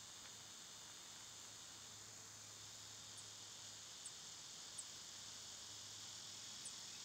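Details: Summer cicada chorus forms a continuous shrill drone. A few brief, sharp high ticks break through near the end, and a low steady hum sits far below.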